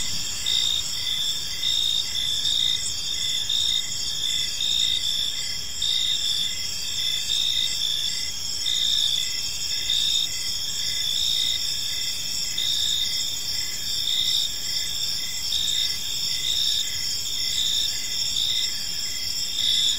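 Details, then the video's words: Evening cricket chorus in a quiet park, many insects keeping up an unbroken shrill, shimmering trill with rapid regular pulsing layered on top, no other clear sounds beyond soft low ambient hum. "Cricket Sounds in a Peaceful Park"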